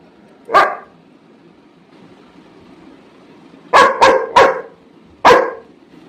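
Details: Labrador Retriever barking while waiting to be fed, one single bark, a long pause, then a quick burst of four sharp barks.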